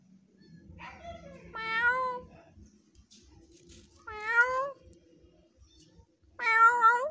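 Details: Frightened stray kitten giving three loud, drawn-out meows, each rising then falling and lasting under a second, spaced about two seconds apart, with quiet pauses between.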